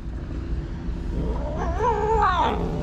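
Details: Street-found kitten without its mother, at feeding time with wet food: a brief two-part meow that rises and wavers, heard over a low background hum.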